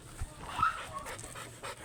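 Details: An oversize American Labrador Retriever at a kennel in Manaoag, Pangasinan, during a stud session, pants in quick, breathy bursts with a brief faint whine.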